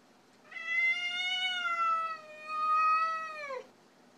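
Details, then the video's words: Orkah, a female cat, unwelcoming a strange visiting cat: one long, steady, whining meow lasting about three seconds with a slight dip midway and a downward slide at the close, indoors. "Orkah and the stranger kitty"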